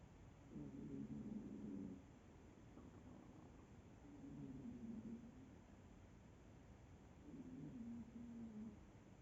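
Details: Sleeping cat snoring softly indoors: three slow, low rasping breaths, each lasting over a second and spaced about three seconds apart, faint over a quiet room hiss.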